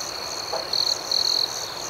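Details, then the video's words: Night crickets, a high continuous trill with two louder, buzzy bursts of chirping in quick succession over a faint pulsing chorus. "Soothing Cricket Sounds"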